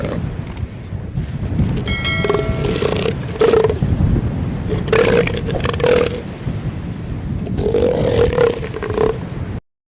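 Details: A southern elephant seal (Mirounga leonina) roars, deep guttural bursts in several drawn-out roars over a steady low rumbling.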